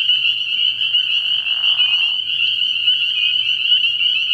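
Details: Chorus of spring peepers at a frog pond on an early-spring night, many high piping calls blending into an unbroken shrill drone. A brief lower, rough burst from another caller rises midway.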